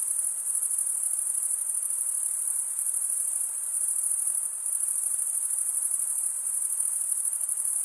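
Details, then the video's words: Male crickets stridulating, rubbing one wing's edge along the toothed vein of the other, produce a dense, steady high-pitched chirping chorus. The trill runs unbroken with a faint rapid pulsing and no other sounds. "Most relaxing cricket sound"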